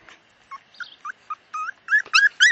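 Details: A pet dog, outdoors, gives a series of short high whimpering yelps that grow louder and more frequent toward the end, with no other sounds heard.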